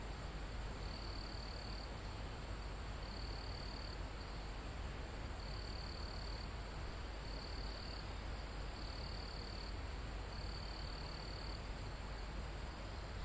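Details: Crickets in a calm mountain forest, with wind in the trees: six evenly spaced high buzzing trills, each lasting about a second and recurring roughly every one and a half to two seconds, against a steady insect hiss and breezy rumble.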